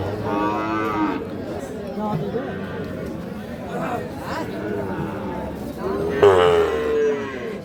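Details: At Ambari cattle market, Parbatipur upazila, Dinajpur, Bangladesh, Sahiwal cattle and calves are being sold; a short low moo opens, crowd chatter and voices follow, then a second louder moo near the end.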